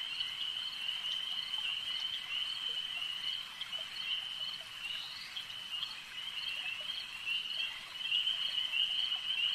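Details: Frogs calling at a lake: a dense, continuous high-pitched trill forms a steady droning band, with faint scattered clicks and a swell in loudness toward the end.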